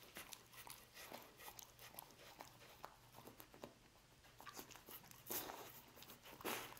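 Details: A dog eats roast beef indoors, producing rhythmic crisp chomps about once per second, brief pauses between bites and two louder crackling bursts toward the close.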